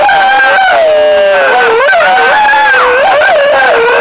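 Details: Wolves in Foreste Casentinesi National Park, Italy, replying during the 2013 wolf-howling census; several smooth howls glide downward and back up, layered over each other in a short continuous chorus.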